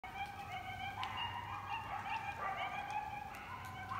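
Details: Coyotes yipping together, several overlapping wavering, high-pitched voices forming a steady, harmonic-rich chorus of wobbling tones with short sharp yips breaking through throughout, over a low constant hum.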